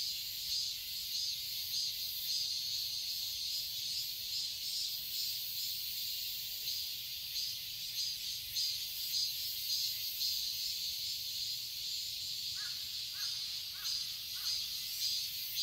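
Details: Cicadas singing in a summer garden in Seoul, Korea: a dense, steady, hissing buzz that fills the high register without pause, with faint brief chirps near the end.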